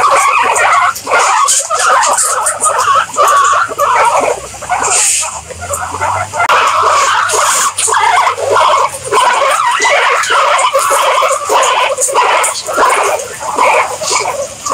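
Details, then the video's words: A group of guinea pigs squealing repeatedly, with high, whistle-like notes rising and falling in quick irregular bursts and a brief hiss-like rustle partway through. "Guinea Pigs Sound"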